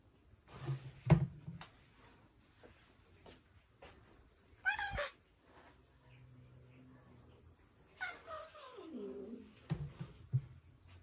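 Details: A resident Ragdoll cat yowls at a newly arrived cat during a one-sided attack, a drawn-out yowl sliding from high to low between thumps and bumps.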